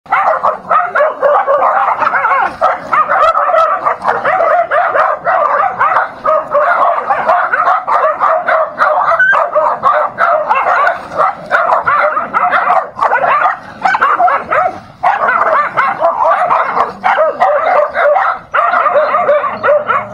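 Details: Dogs fighting: a dense, continuous run of overlapping barks, yelps and snarls that barely pauses for twenty seconds.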